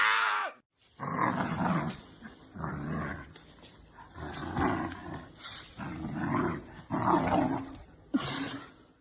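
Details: Pet dog at home giving a run of rough, throaty growling bursts, each lasting about a second and repeating roughly every one and a half seconds, with a sharp click near the end.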